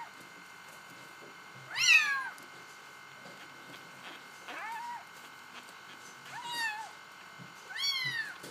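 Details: Bengal kitten meowing five times in about eight seconds, some calls high and squeaky with sliding pitch, others short and arched, against a constant low hum.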